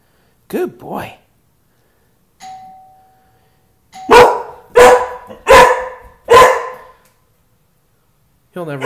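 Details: Indoors, a person speaks briefly and a doorbell tone sounds, then Tukoma, a big dog protecting the house, lets out four loud, deep barks in quick succession about two-thirds of a second apart, followed by silence and more talking.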